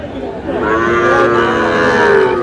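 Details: Sahiwal bull calves at a cattle market in Madaripur, Bangladesh, 3 April: one long, steady, tonal moo lasting nearly two seconds, swelling gently and easing off at the end, with faint market chatter behind.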